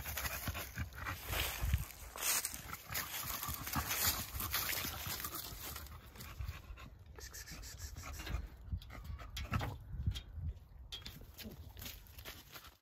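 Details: Male pet dog running around outdoors at 35 degrees in the cold, breathing in quick, rough, breathy pants that come in uneven bursts, with low rumbling handling or footstep noise beneath.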